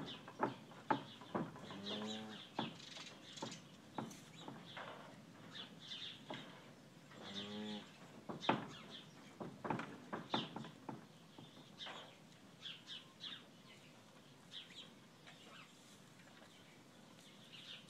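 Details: February the cow gently lows to her newborn male calf, just five hours old, while he tries to find where to nurse; two brief low moos about five seconds apart under constant bird chatter.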